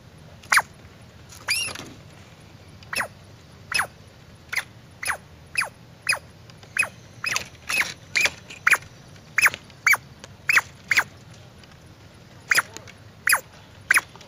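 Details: Squirrel producing a run of crisp, clicky squeaks and brief chirps, loosely spaced at first and then closer together, each note abrupt and bright, with a drawn-out squeal near the start.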